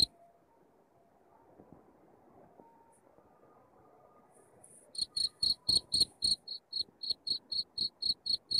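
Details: Cricket chirping used to scare rats away from a home; a few seconds of faint low rumble, then loud high chirps begin partway through and repeat about four times a second.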